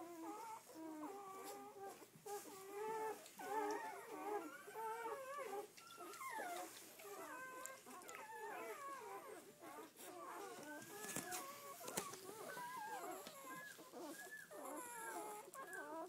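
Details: Litter of eleven red-rust Doberman Pinscher pups, seven female and four male, out for the first time: a constant tangle of thin whining cries that bend up and down, several puppies overlapping, with a few soft clicks and knocks.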